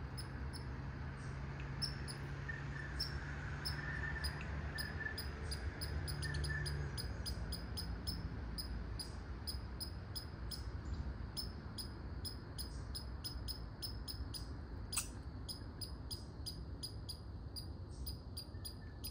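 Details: Red squirrel barking: a long run of short, sharp, high chucks repeated at an uneven pace, several each second, over a steady low rumble of background noise.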